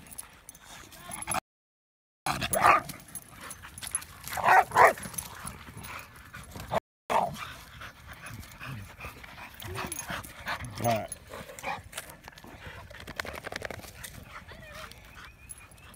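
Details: Dogs at a dog park: a Bulldog repeatedly lunging at and colliding with Winston, a Mastiff/Pit mix, who snarls and chases him off. Rough bursts of whining and yelping vocalizations over scuffling noise, with people's voices in the background.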